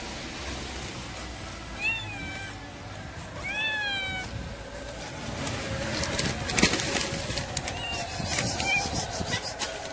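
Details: Pregnant domestic cat giving two clear, drawn-out meows, each sliding down in pitch with bright overtones, the first near two seconds and a longer one near four, then a faint short mew later over steady room noise.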